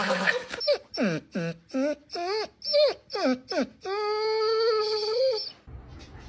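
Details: A pet dog making a strange vocal sound: about eight short, wavering, falling whine-like cries in quick succession, then one long steady tonal wail, with laughter and speech nearby.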